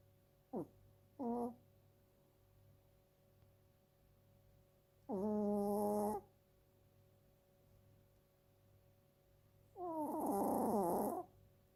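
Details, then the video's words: Female two-year-old Chiweenie snoring indoors: short tonal, wavering nasal snorts early on, then two longer buzzy harmonic snores about five seconds apart, each lasting roughly a second, over a steady low hum. "チワックスの日常 ちょこびちゃん 【いびき】"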